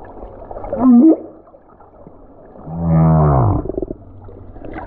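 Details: Singing lone male humpback whale, Silver Bank, February 2023, heard from the surface by a snorkeler: a brief high squeal with a wavering upturn, then a deep, loud, pulsed groan lasting about a second, over low water rumble.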